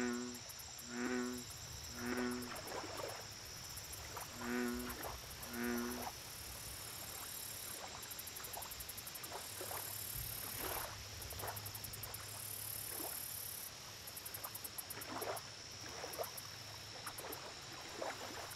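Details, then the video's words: American bullfrog calling at a lake: five low, throaty, droning croaks in two bursts during the first six seconds, then only a steady high insect chorus and faint clicks. "Bullfrog Lake Audio Only - Nature Sounds"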